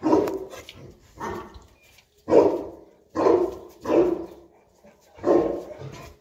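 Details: Boerboel, or South African Mastiff, one of a male and female pair living in Egypt, barking during play; six deep, gruff barks come at uneven intervals of roughly one second, each fading quickly.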